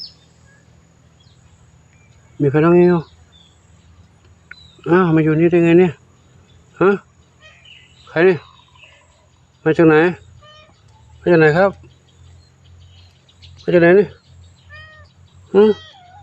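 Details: Lone kitten that turned up by itself at Wat Pong Chai temple in Chae Hom, Lampang, Thailand. It gives about eight short, arching meows spaced one to two seconds apart over a steady low hum, with faint insect sound behind.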